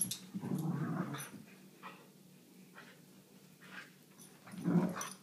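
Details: A Vizsla named Mia, busy with a toy, lets out a low rumbling growl at the start, then quiet with a few soft huffs, and a second short, deep growl near the end.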